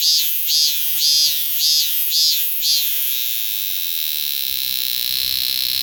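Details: Robust cicada calling with five pulsing, rising-and-falling buzzy notes about half a second apart, then settling into a continuous high shrill drone.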